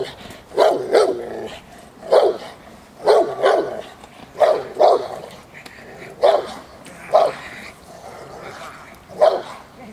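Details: Protection-work barking from J7's Kelly, a Presa Canario of the Irema Curto line, training at De la Arena field, Germany; powerful low barks in pairs and singles roughly every second, with a man's voice in the background.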